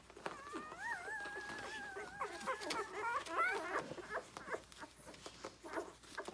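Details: Six-day-old Rhodesian Ridgeback puppy nursing with its littermates, born 9/3/2020, lets out a long, wavering whine that holds, bends up and down, then breaks into shorter whimpers. Soft squeaks and rustling continue afterward.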